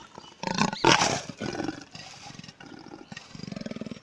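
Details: Indian leopard in captivity at Chhatbir Zoo, India: a loud harsh burst, then a run of quick, evenly spaced low rasping pulses, with visitors' voices nearby.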